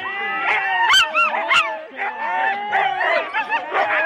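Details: Husky sled dogs in four-dog teams at the start of a race, Rendlesham, January 2016, recorded on analogue cassette: a dense chorus of yelping, wavering howls and sharp yips from many dogs at once, overlapping and rising and falling in pitch.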